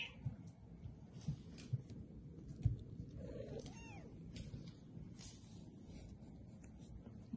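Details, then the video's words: Three-week-old registered Bengal kittens, born 13 March 2020, playing and exploring indoors at a cattery in Kalama, Washington; a single short mew with a bent, wavering pitch rises above a steady low rumble and scattered soft knocks. "Bengal Play time, Kittens born on 3-13-20"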